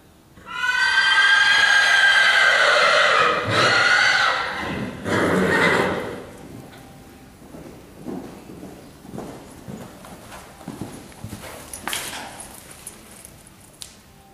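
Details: Horse running around an arena, a long loud whinny with a wavering, falling pitch over several seconds, a shorter burst after it, then soft hoofbeats and rustling.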